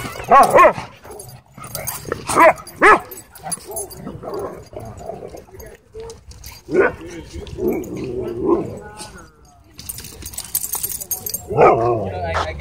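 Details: Dogs at a dog park, happy play interrupted by a dogfight; sharp, loud barks in quick bursts at the start, again midway and near the end, over human chatter and scuffling.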